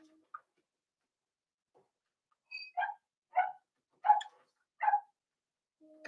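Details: Cavalier King Charles Spaniel puppies, four weeks old, in an indoor home puppy pen during socializing and feeding; a run of five sharp, squeaky yips about two-thirds of a second apart, with faint thin whines before and after.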